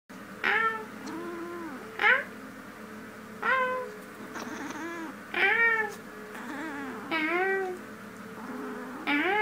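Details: Female domestic cat talking in her sleep indoors, giving short harmonic meows with a rising then falling contour, roughly every one to two seconds, some wavering and drawn out, over a steady low hum.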